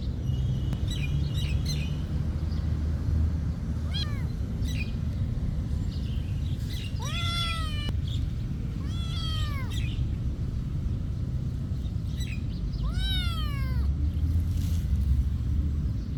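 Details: Monastery cat meowing outdoors: a short call near four seconds, then three clear arched meows around seven, nine and thirteen seconds, with faint high chirps of birds and a continuous low rumble.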